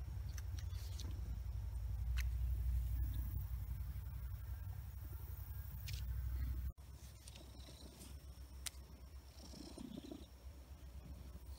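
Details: Domestic cat Big Blackie in a powerful purr: a loud, even, low rumble that drops in volume about two-thirds of the way through and carries on more softly. Light handling noises are heard.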